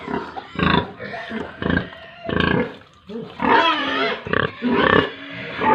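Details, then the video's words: Pigs and piglets on a Tripura pig farm. Drawn-out harsh squeals about a second long are repeated several times, with a dense, wavering run of squealing near the end. "animals Pigs & Piglets sounds"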